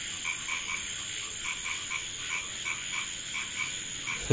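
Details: A small frog croaks in short, rapid clicking bursts over a steady insect drone on a village road in Bangladesh after nightfall.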